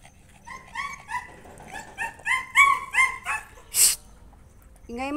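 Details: A noisy Aspin (Philippine native dog) indoors gives a quick run of high, tonal yaps and whiny barks, several each second.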